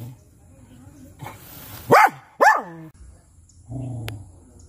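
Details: Dachshund gives two sharp, high barks in quick succession near the middle, preceded by a rustle and followed by a low murmur and a click.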